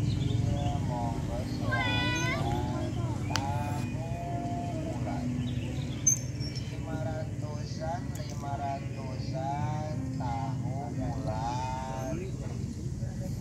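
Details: Female domestic cat calling her kittens in a stray cat setting: one high meow, then a run of shorter, quieter meows and mews, over continuous low engine rumble and a few sharp clicks.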